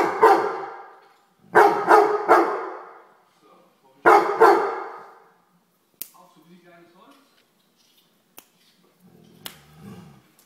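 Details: A Weimaraner scolds a common house fly with loud, harsh barks in bursts: one bark, a rapid run of three, then a single bark, followed by quieter clicks and faint rustling.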